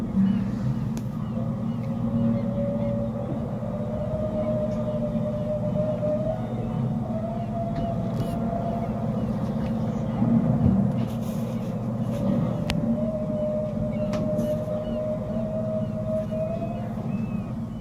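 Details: Humpback whale song picked up by a boat's sonar while 11 humpbacks feed up close with hundreds of birds converging: long, drawn-out tonal moans that hold steady and slowly waver over a low rumble.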